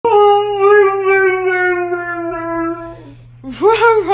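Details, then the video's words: Upset Alaskan Malamute howling: one long, steady tonal howl held for about three seconds and slowly sinking in pitch, then a short pause before quicker, rising, wavering howls. "Malamute’s Upset Howling"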